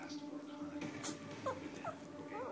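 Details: A 2.5-year-old female Morkie, a talking dog, tries to speak indoors: three short, high, rising-and-falling whiny yelps near the end, after a person says "sit".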